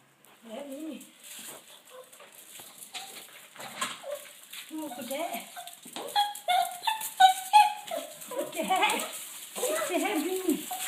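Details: Yorkshire Terrier, glad as grandma arrives with meatballs, gives high, wavering whines and whimpers in uneven bursts that grow busier toward the end, while a person talks nearby.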